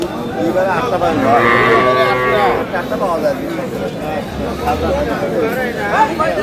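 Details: Milking cows and calves at Aftabganj market, Dinajpur, Bangladesh: a harmonic lowing call through the first seconds, overlapped by men's voices and busy market chatter.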